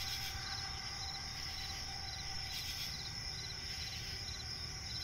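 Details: Crickets chirping at night in a swampy forest: a dense, continuous high shimmering drone with faint rapid pulsed trills layered above, steady throughout, over a low rumbling background and no other clear animal voices.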